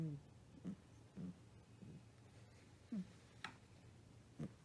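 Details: Kotetsu, a British Shorthair cat, snores worn out after a trip to the vet for flea and heartworm medicine, indoors; soft low snorts and breaths come in uneven bursts roughly every half to one second, with a faint click or two.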